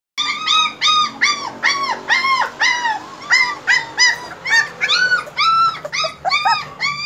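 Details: German Shepherd puppies whining in a steady series of high, arched whimpers, each rising then falling, roughly every third of a second, with several voices overlapping.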